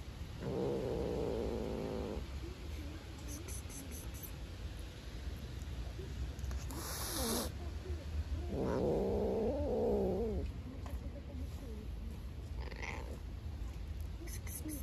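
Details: Hungry black stray cat growling over food it will not share with a beige cat outdoors; two long wavering moaning growls near the start and around 9 seconds, with low rumbling noise and a brief sharp click between.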